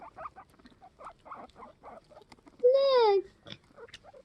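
A male guinea pig gives a wavering, tonal squeal that wobbles like a radio dial, courting females.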